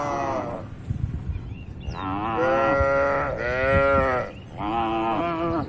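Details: Cattle herd grazing in an open rural field; a low rumbling background gives way to three long, loud, sustained moos, each steady then slightly falling, separated by brief pauses.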